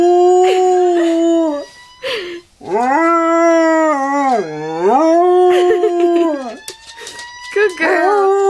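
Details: Pet dog Eva howling at a passing siren. Long drawn-out tonal wails, one dipping low and swooping back up, separated by brief pauses, with a woman softly praising her between and over the howls.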